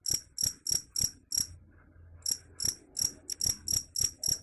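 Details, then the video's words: Cricket, claimed to repel rats, giving high shrill chirp bursts, a run of five, a pause of nearly a second, then the pulses resume, some doubled, over faint low rumble. "Suara Jangkrik _ Bisa Usir Tikus"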